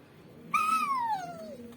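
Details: Pet dog, apparently named Tiger, whimpering indoors because it wants to go outside: one smooth whistled whine that starts high, holds briefly, then slides steadily downward for about a second before fading, over a quiet room hum.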